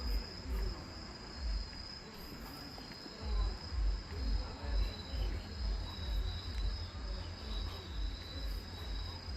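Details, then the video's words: At the Namgang lantern festival in Jinju, Korea, grass insects keep up an unbroken high-pitched ringing trill, heard against a loud low pulsing beat from the festival. "진주 남강 유등축제 선명하게 울리는 풀벌레 소리"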